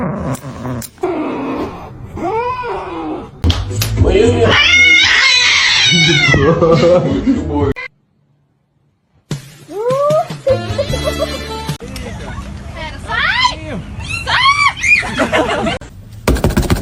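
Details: Cats in a fight, giving drawn-out wailing yowls and rising-falling meows in repeated bursts, broken by a short silence midway, with human speech and some music mixed in.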